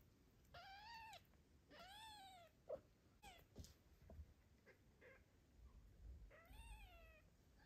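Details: Tiny kitten cared for by a father cat while the mother is away, giving three clear rising-then-falling harmonic meows around the first, second and seventh seconds, with softer short cries between and faint indoor background hiss.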